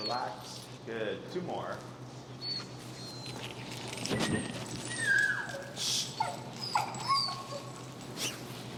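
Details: Finnegan, an extremely vocal feral husky in level-one heel training in Chicago, protests a behavior while pressure is being taught; high wavering whines and yelping squeals rise and fall between bursts of human speech, with rustling and movement noise.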